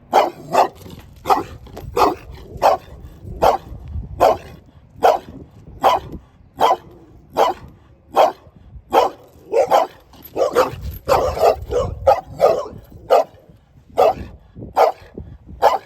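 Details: Dog giving loud, sharp barks at a quick rhythm, some coming in close pairs and clusters mid-way, about twenty in total, with faint low rumbling underneath.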